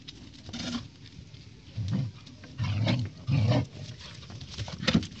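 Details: Siberian Husky puppy play-fighting with a golden retriever puppy: short, low, rough growling bursts about half a second long, repeated several times with quiet pauses between them.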